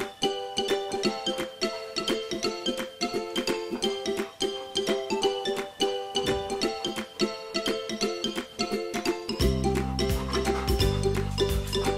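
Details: Plucked ukulele music in a light repeating pattern, with a deeper strummed section entering near the end, and no animal sound.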